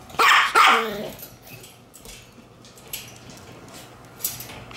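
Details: Black Shiba Inu puppy born June 27, on the day it arrives at its new home, letting out two loud high yapping barks in the first second, followed by quiet room sounds and faint knocks.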